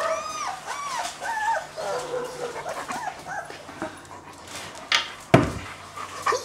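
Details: A two-week-old male German Shepherd puppy whimpers: thin, high, arched squeals come in quick runs, then fade out. A sharp knock near the end.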